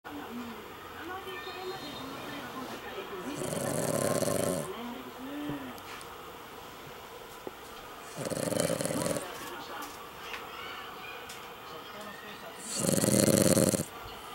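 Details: Female Cavalier King Charles Spaniel, worn out after a family drive, snoring in her sleep: three loud, rasping, broadband snores about every four to five seconds, with soft human voices murmuring faintly in between.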